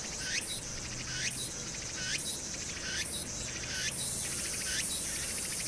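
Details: Cicada calling in summer on Hwangnyeongsan, South Korea, recorded on 1 August 2019 against city noise. Rising upslurred notes with pulsed buzzes come about once per second, then give way to a steady high hiss, over faint low hum.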